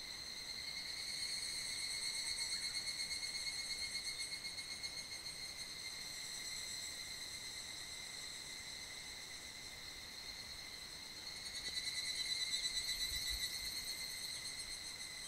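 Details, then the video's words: A large evening cicada (higurashi) chorus echoes through a valley at the foot of Mt. Kanmuri, Funo, on a hot mid-July summer evening, a steady, ringing metallic drone that swells and fades. "谷間に響き渡るヒグラシの大合唱～布野冠山山麓地帯"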